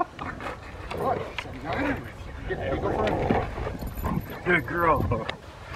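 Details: Young female Rottweiler Foofy, 13 months old, working through protection training on April 10, 2021 ahead of ZTP and IGP1, gives a couple of quick barks near the end while a man keeps speaking and praising her.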